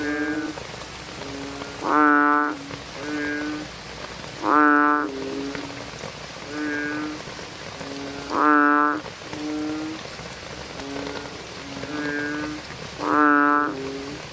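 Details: Nighttime bullfrog chorus in the rain: four loud, resonant, half-second croaks come every few seconds, each answered by quieter, lower-volume calls from nearby frogs, with constant rainfall throughout.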